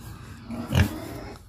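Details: A farm-raised wild boar, one of three kept at a Vietnamese garden home and nearly a year old, gives a short, low grunt on a hot, sunny day, demanding food.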